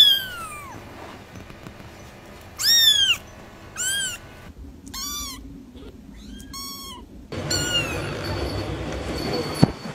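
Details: Kitten calls: bright, arched meows, sometimes doubled in quick succession, over a murmur of background noise that grows rougher in the final seconds.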